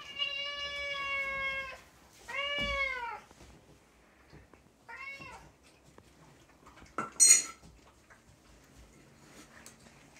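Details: Pet cat meowing while getting dinner indoors: three drawn-out, harmonic meows, the first long and level, the next two shorter and arching, followed by a clink of dishes or cutlery.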